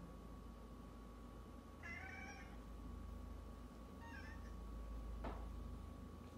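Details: A tabby cat ignores the owner's hello and greets someone else instead, giving a short, bright meow of greeting and then a softer second one.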